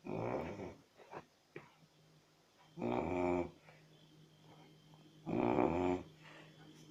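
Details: A snoring Chow Chow indoors gives three rattling, throaty snores roughly every two and a half seconds, each a harsh low rasp lasting under a second, with soft breathing sounds between.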